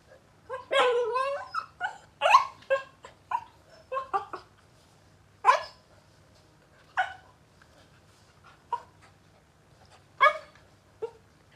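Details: Puppy wanting to play and biting, making a run of short high whines, yelps and small barks in uneven bursts, busiest in the first five seconds, then scattered single yips.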